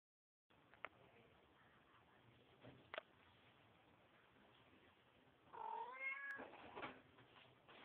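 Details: Mother cat cleaning her kittens: a single rising then falling meow near the end, preceded by faint rustling and a few clicks of grooming.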